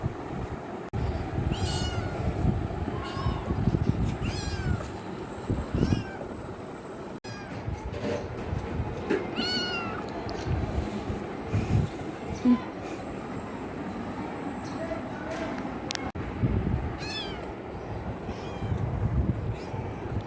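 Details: Kitten seeking love mewing again and again, thin rising-then-falling cries every second or two, some louder and drawn out, against constant low traffic-like rumble.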